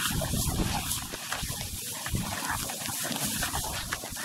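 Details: African wild dogs at a meal in Chobe National Park, Botswana: a dense, continuous rough jumble of low rumbling, growl-like pulses and scuffling noise, with no clear tonal calls standing out.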